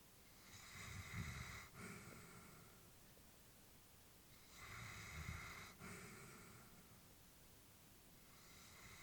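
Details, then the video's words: Elderly female Labrador Retriever asleep indoors, breathing softly and rhythmically: two slow, breathy inhale-exhale cycles with a faint snoring rasp, each lasting about two seconds, separated by quiet pauses in a small room. "Elderly dog sleeping with breathing sounds"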